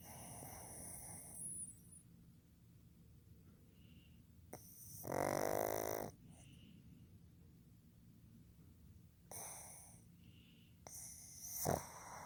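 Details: Asleep indoors, male pug Fukuzo (born 15 July 2020) gives loud, rasping snores between long quiet gaps: a long throaty rattle, then two shorter snorting bursts, with faint soft breathing in between.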